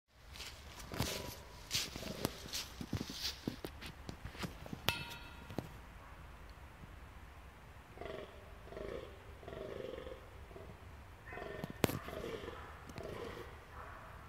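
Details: The only antlered fallow deer buck in a herd in a park enclosure in Arnhem, Netherlands, groans in deep, belching runs in quick succession during the November rut, asserting dominance.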